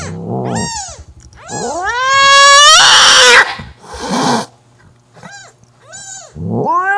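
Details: Angry mother cat Mocha banishing her sister Kofi from the kitten she claims back: drawn-out rising yowls swelling into a loud harsh scream, followed by shorter arched wails.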